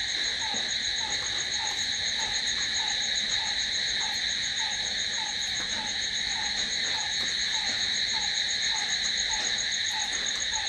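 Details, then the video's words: Crickets at night keep up a constant, dense, shrill trill, while a lower brief note ticks along regularly about three times each second underneath. "Cricket sound"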